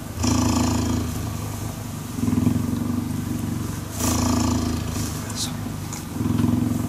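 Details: Deep, vibrating purr of a cheetah during cuddling, on both inhale and exhale. Louder rumbling bursts alternate with quieter stretches roughly every two seconds, with some rustling.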